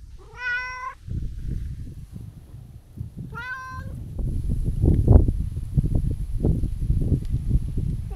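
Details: Talkative tabby-and-white cat visited outdoors at New Year utters two clear, harmonic-rich meows about three seconds apart, followed by handling and rustling noises close by.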